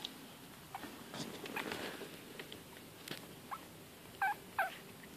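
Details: Yorkshire Terrier and Bichon Frise cross puppies from a litter of four, 19 days old with eyes newly opened, recorded September 4th; two brief, high, wavering squeaks come close together near the end, after soft scratchy rustling and faint shuffling.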